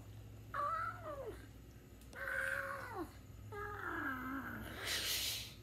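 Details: Domestic cat meowing three times: drawn-out harmonic meows that rise then fall, the last longer and sliding downward, followed by a burst of hissy noise at the end.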